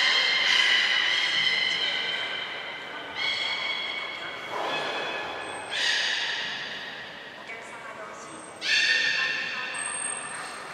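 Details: Captive beluga during a training session at Port of Nagoya Public Aquarium, 25 July 2021, a short session: repeated harmonic, nasal calls with stepped pitch, several bursts, short high trainer's whistle blasts and a large hall's echo.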